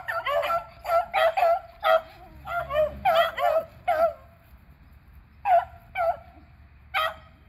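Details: Squirrel-hunting beagles, three dogs named Athena, Zeus and River, recorded April 21, 2020; rapid ringing bays tumble together for four seconds, then single spaced yelps follow.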